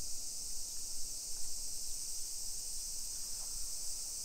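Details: Summer cicadas in a hillside residential neighborhood of Nisshin city near Nagoya, Aichi Prefecture, Japan, at 1 PM on 28 July 2021: a steady, unbroken high hiss-like drone from many insects over soft low walking rumble.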